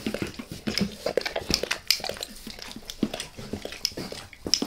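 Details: Close, wet tongue smacks as Max the dog licks his owner's face inside, quick uneven licks with small clicks and moist slurps, quiet background without talking.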